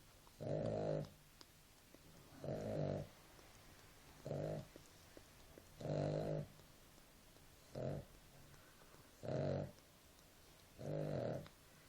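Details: Nela, a sleeping dog, snores steadily: seven rough, throaty breaths, each under a second, spaced roughly every one and a half to two seconds over a quiet background.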